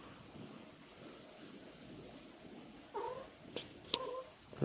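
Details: Domestic cat making an "ohayo"-like good-morning call: one short, bending meow near the end, followed by a fainter second note, with a few sharp clicks and taps in an otherwise quiet indoor setting.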